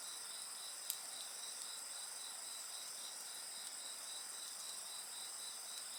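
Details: Insects trill continuously by a bonfire, high-pitched overlapping voices with a pulsing beat beneath, interrupted by a loud pop and lighter crackling from the flames.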